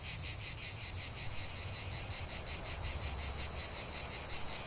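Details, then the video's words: Chorus of cicadas in a natural setting, a loud high buzzing drone pulsing quickly about three times a second, with low-pitched background noise underneath. "45 min de chant des cigales"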